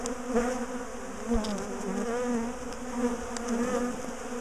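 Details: Many bees from a large top bar hive colony being split and moved, a colony that had ambushed its owners; smooth, even buzzing drone with slowly wavering pitch and only faint clicks.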